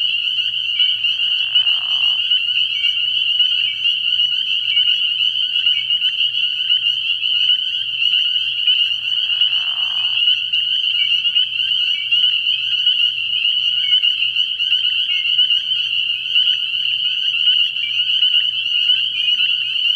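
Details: Early-year night chorus of spring peepers at a frog pond: a steady ringing mass of high peeps, broken twice by brief lower buzzy bursts about eight seconds apart.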